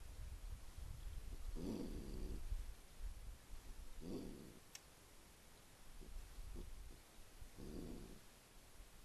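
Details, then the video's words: Mother raccoon, spotted from a window, defending her rubbish bin and telling the watcher to go away. Three short, rough, low bursts come at about 1.7, 4.2 and 8 seconds, with a sharp click between them over a low background rumble. "Waschbär-Sounds: "Das ist meine Mülltonne! Geh' weg!""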